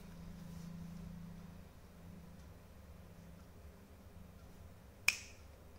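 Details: Quiet indoor hum with a low drone, broken near the end by a single sharp snap.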